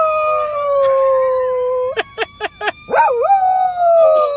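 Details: Dog singing to a fire truck siren: the siren holds a steady drawn-out tone, then a quick run of four short yelping notes leads into a wavering, rising-and-falling howl.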